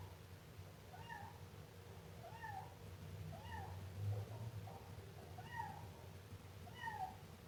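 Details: Siamese kitten meowing: five short, high, bending mews spaced about one to two seconds apart, each rising then falling, over a steady low hum.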